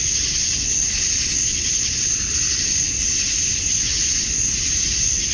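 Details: Male cicadas in a summer dusk chorus in Georgia, USA, calling to attract females: a dense, steady high-pitched buzz that never breaks, with faint low rumble underneath.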